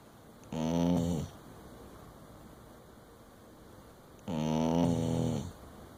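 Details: Dingo fast asleep, snoring: two drawn-out, buzzy, rasping snores, each about a second long and roughly four seconds apart, with quiet breathing between them.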